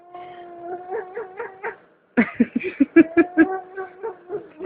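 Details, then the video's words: A shaking cat, held with its legs pressed together, lets out a string of voiced, wavering wailing cries: a smooth pulsing run, a brief silence, then sharper, quicker broken pulses at roughly two or three per second. "Cat funny sounds"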